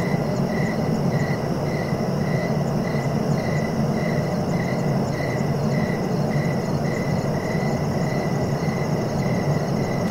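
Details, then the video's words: Steady rhythmic cricket chirps, even pulses roughly three per second, carried on top of a dense low-pitched hum that runs through the whole recording. "Relaxing cricket sounds for sleeping"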